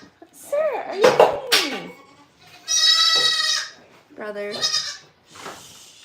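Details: Farm goats at The Willful Goat Farm & Home give loud, quavering bleats, one long high cry followed by a shorter wobbling one, after a brief stretch of human voices.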